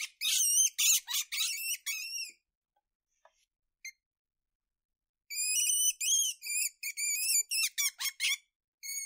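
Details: Weasel squeaking in two bursts of rapid, shrill, harmonic chirps, roughly four per second, separated by a few seconds of silence; the later squeaks are clipped and staccato, with nothing else heard.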